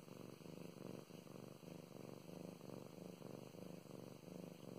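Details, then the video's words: Close, low purr from Mow Mows, a female house cat enjoying petting; regular throbbing pulses, roughly one breath cycle every second or so, rumbling without pause in a quiet indoor space. "Five minutes of purring and petting"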